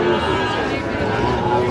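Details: Sahiwal cattle at the Ambari market in Dinajpur, Monday 18 August 2025, where Sahiwal bulls are traded: a sustained, low, droning moo runs through the whole stretch, overlaid by market chatter and a man's voice.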